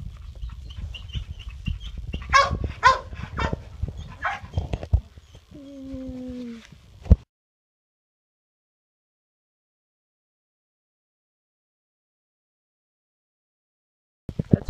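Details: Labrador Retriever puppies, about four and a half weeks old, from a litter of Daisy and Bear: a few sharp high yips and squeaks in quick succession, then a short drawn-out whimper, over rustling and handling noise before falling silent.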